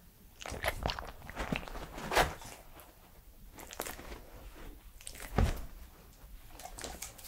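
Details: Edmundo, a three-year-old Pembroke Welsh Corgi, eats indoors for an ASMR recording: irregular crunchy bites and wet chewing, with loud snaps near two and five and a half seconds in a quiet small room.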